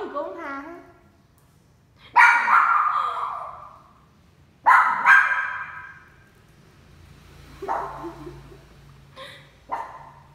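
A small dog gives sharp, high barks in separate bursts a few seconds apart.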